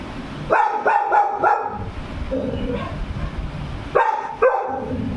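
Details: Labrador Retriever barking as though it has seen a ghost; a quick run of four sharp barks, a pause with a softer sound, then two more barks over low background rumble.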